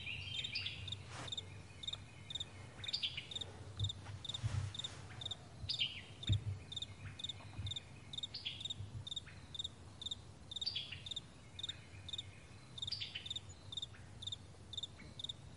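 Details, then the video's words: Morning crickets on a wide meadow give high, brief chirps in a steady pulse, joined by scattered bird-like whistles and occasional low rumbling thumps underneath. "Morning Crickets"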